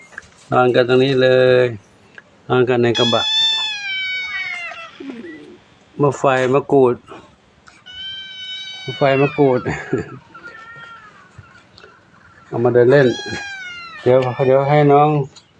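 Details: Domestic cats resting contentedly in the afternoon at Wat Pong Chai, Chae Hom, Lampang; a few high, drawn-out meows with wavering, falling pitch sound between stretches of loud nearby human speech.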